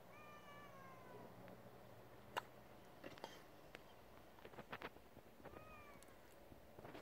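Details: Male domestic cat meowing: a long, clear, gently falling meow lasting about a second, then a shorter falling meow about five seconds later, with scattered clicks and knocks between them.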